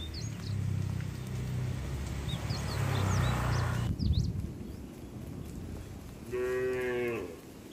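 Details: Cattle herded to the barn in the rainy season; low rumbling noise and chirping birds fill the first half, then one clear, short moo near the end.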